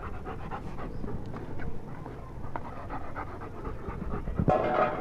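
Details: A pair of German Shepherd dogs in Pakistan panting in quick, breathy, uneven bursts, roughly four per second, with a louder rustling burst near the end.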